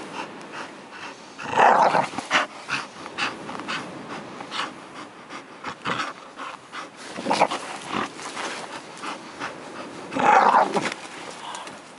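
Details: Bull terrier recorded in Karystos, Greece, making irregular panting, snorting and throaty growls, with two louder grumbling bursts near the start and end of the twelve seconds.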